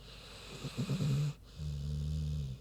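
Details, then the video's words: Snoozing big pig Queenie: a short burst of rough, fluttering snorts, then a smooth low droning snore breath after a brief pause. "Big Pig Snoozin' (HD Queenie Snoring Audio)"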